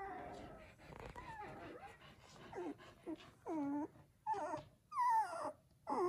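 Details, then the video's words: Seven newborn Samoyed puppies indoors in a house: high, wavering whines and squeals that bend up and down, coming in uneven bursts and growing louder toward the end, with quiet gaps between. "Seven Newborn Samoyed Puppies"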